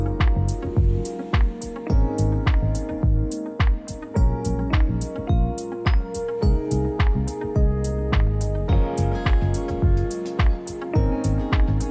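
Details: Rhythmic guitar and drum music plays throughout with a steady beat, and no animal sound is heard.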